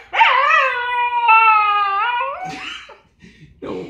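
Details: Pet dog reacting to the "Z" sound it hates, giving a sustained, high, tonal whine that holds steady for about two seconds, then breaks into shorter whimpers. A person's voice briefly follows, naming words.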